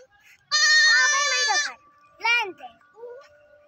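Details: Four baby goats calling: a long, loud, wavering bleat lasting about a second, followed by two shorter, quieter bleats that rise then fall, with quiet pauses between.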